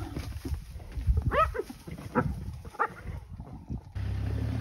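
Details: A lion cub surrounded by a clan of hyenas gives short, arched, moaning calls, summoning its mother, who comes to help; filmed near Serondella Safari Lodge.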